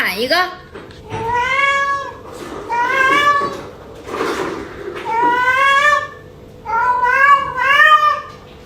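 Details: Early in the morning, the house cat Yuanbao keeps crying for more food just after a meal and talks back when scolded: four long, arching meows about a second each, separated by short pauses, with a human voice between them.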